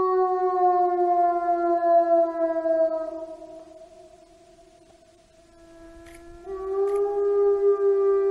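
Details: Wolves howling with two overlapping voices: long drawn-out notes that slowly slide downward and fade, then a fresh howl rises and swells again near the end.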